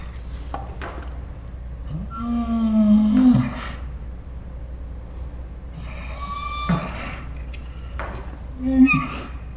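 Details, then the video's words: Ours the Saint Bernard dog producing dinosaur-like 'talking' noises: a drawn-out low moan with a high whine layered over it, followed by several shorter whining moans. "My Saint Bernard makes dinosaur sounds"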